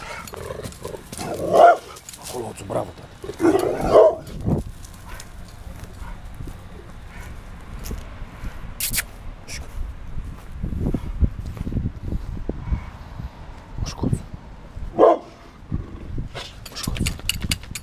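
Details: Brindle pit bull kept as a guard dog, giving a few loud, harsh barks in short bursts near the start, then quieter muffled sounds, with people talking in Spanish throughout.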